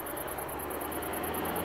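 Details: In south-east Wales, a great green bush-cricket, the UK's largest and loudest species, living beside a road, gives a very high, loud, penetrating, rapidly pulsed buzz that carries steadily over road noise.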